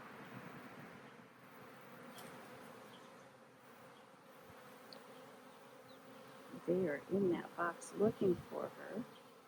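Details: Honey bees buzzing in a hive split being re-queened with a new caged queen. A steady low hum fills most of the recording, and a person starts talking over it in the last few seconds.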